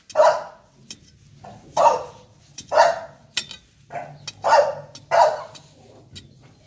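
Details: Short, high barks from American Bully puppies repeat about once a second, six in a row, over a low steady hum.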